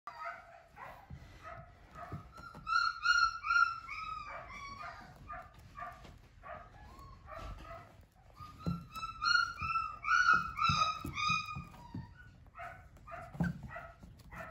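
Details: Flat-coated Retriever puppy, a liver-coloured male, giving runs of high whining yips and whimpers in quick uneven bursts, some notes drawn out and wavering, with soft thumps and handling noise beneath.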